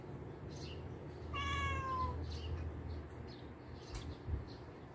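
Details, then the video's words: Two pet cats, Ling and Ming, together for four years, play fighting rather than truly fighting; one clear falling meow with stacked harmonics lasting under a second, over low indoor hum and faint chirping birds outside. "My cats fighting after 4 years being together"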